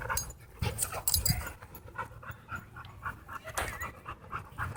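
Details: Playful dog park scene with gruff, throaty growling and snorting, broken by heavy panting; a person calls out and laughter follows.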